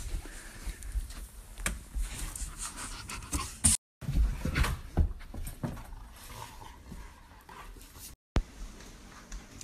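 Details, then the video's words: Two 8-month-old wolf hybrid puppies, Timber and Indi, wild indoors after missing their exercise to a rainstorm; rapid, uneven panting and snuffling with scuffling thumps and short dropouts. "Wolf Hybrid Puppies Get Bored When It Rains"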